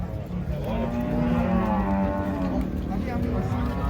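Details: A long, deep moo with a rich, buzzy tone from cattle being unloaded off a truck at a market. The moo swells in the middle and tails off while people chat nearby.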